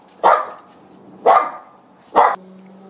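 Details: Barking from dachshunds that have found a ringtail possum: three forceful barks roughly one second apart, with a steady low hum lingering between them.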